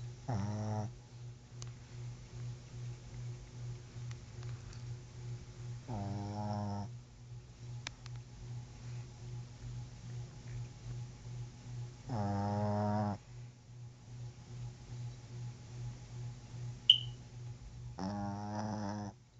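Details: Pet dog sleeping indoors, snoring steadily: a low rumbling drone runs throughout, with louder harmonic-rich snorts swelling about every six seconds, each lasting roughly a second.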